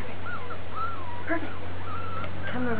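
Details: Piebald Miniature Dachshund puppies with ticking, born July 18, 2012 and filmed August 26, 2012, give thin, wavering high whimpers in short rising-and-falling bursts, with a person speaking and a steady low hum behind.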